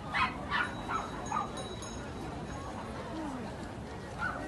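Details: Dogs at a dog festival and market in Japan: four short, sharp, yappy barks in quick succession over the first second and a half, then one more bark near the end, over a steady murmur of crowd noise.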